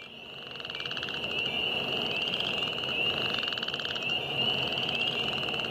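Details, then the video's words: Northern chorus frogs and spring peepers calling together in spring at The Wetlands, James River Parks, Richmond, Virginia, March 9, 2014: a dense unbroken chorus of high steady peeping overlaid with rapid rasping pulsed trills that swell and repeat. "Spring frogs"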